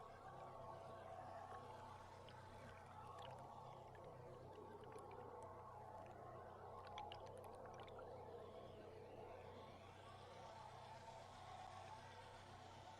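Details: Belugas underwater, a large feeding group travelling down an estuary on July 16, picked up from a tour boat: faint whistles with scattered sharp click bursts over a steady low engine hum and water noise.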